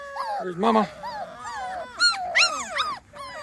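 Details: Brief close squeals from 2.5-week-old Small Munsterlander puppies outside for the first time: harmonic whines, a low moan, then sharp arched yelps in quick succession, with a faint voice in the background.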